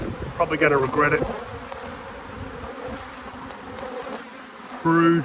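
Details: Honey bee hive in an apiary, steady low humming drone throughout, with a man's voice talking briefly at the start and again at the very end.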